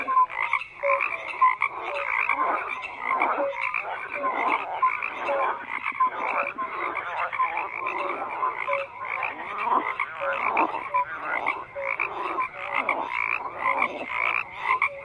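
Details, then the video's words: Crowded chorus of frogs, rasping croaks stacked thickly over one another, dotted with short tonal peeps at irregular intervals, the steady din never pausing. "FROGS CROAKING"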